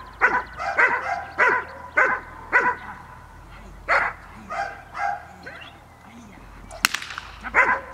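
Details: Cola, a Gel.vilkas dog sired by Figo vom Nordteich out of Tulpi Gel.vilkas, training on 5 May 2015, barks in quick bursts that slow and thin out, with a person talking and a sharp click near the end.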